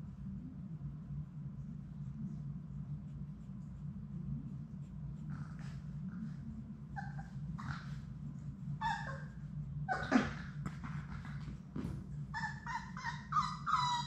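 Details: Labrador Retriever puppies from Sadie's litter of six, playing indoors in their puppy play room; short scattered whimpers and yips, ending in a run of higher harmonic squeals, over a steady low hum.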